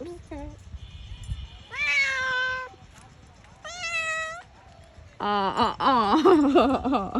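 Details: Cat up a tree, giving two drawn-out, rising meows followed by a longer run of wavering, pleading mews, with a person speaking Bengali nearby at the start and end.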